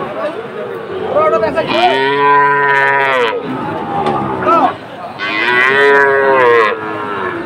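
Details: At a cattle market in Chattogram, Bangladesh, a Sahiwal calf bellows two loud, sustained moos about three seconds apart, rich and nasal, over a faint murmur of voices.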